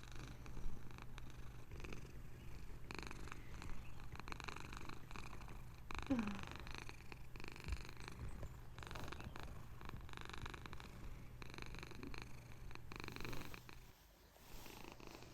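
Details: A female Bengal cat (Felis catus), apparently settling down to sleep, purrs with a steady, low, rumbling vibration that carries on unbroken.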